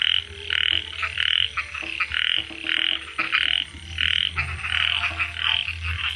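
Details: Night-time frog that had chased off a snake, giving rapid rasping croaks in even bursts, roughly one every two-thirds of a second. A faint low hum and a few clicks sit in the background.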